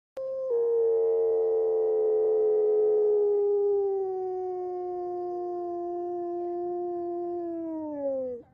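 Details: A male gray wolf gives an alarm call: one long, steady howl-like cry that slowly sinks in pitch and ends in a brief drop.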